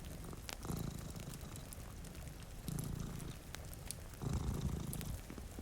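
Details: A low rumbling purr from a pair of sleeping cats by a rain-streaked window rises and falls in slow surges, each swell lasting about a second, while fire crackles snap and raindrops tick throughout.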